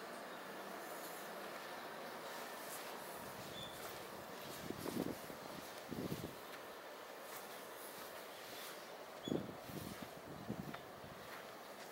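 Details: Steady outdoor background hiss with a few short low thuds and rumbles, and no animal voice.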